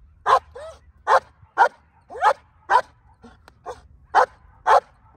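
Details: Barking on command from a female black German Shepherd in hold and bark training in Colorado, 37 days before her IGP1 trial; forceful single barks repeated roughly every half second, evenly spaced, with faint handler voice.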